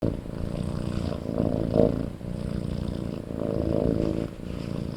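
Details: Sleeping kitten snoring loudly, low rumbling breaths swelling in two slow waves, each lasting under a second, over a steady purr-like drone.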